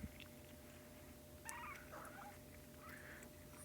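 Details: Kitten being checked over indoors during a kitten stream, giving a few soft, thin mews: one drawn-out cry, then a shorter one a second later. A steady low hum runs underneath.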